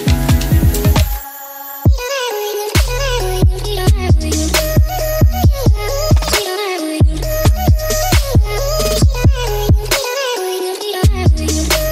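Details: Loud electronic dubstep music with heavy bass and pounding beats fills the whole recording; no animal sound is heard.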